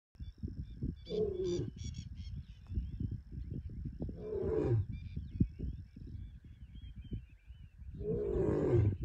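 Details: A lion in the Serengeti gives deep, rumbling roars in separate bursts, with small birds chirping faintly behind.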